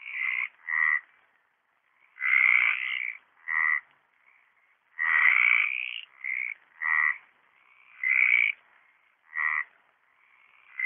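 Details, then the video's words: Mediterranean tree frogs singing in a pond at Orio on 27 March 2013: a string of rasping, nasal croaks, short and long notes alternating irregularly, roughly every second, with a faint second caller overlapping. "Hyla Meridionalis croando"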